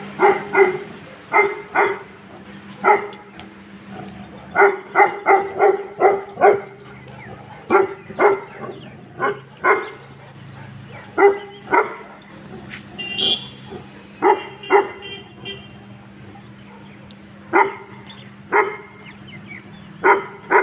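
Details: Two Tibetan Mastiffs, one sable and one red, a breed kept at high altitude to guard home and livestock, bark in loud, sharp bursts, often doubled or tripled, across the whole stretch over a steady low hum.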